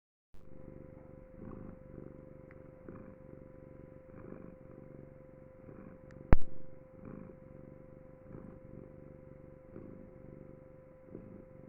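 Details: Pet cat purring steadily and continuously, a low rumbling drone with soft rhythmic pulses at roughly one-and-a-half-second intervals; a single sharp click near the middle.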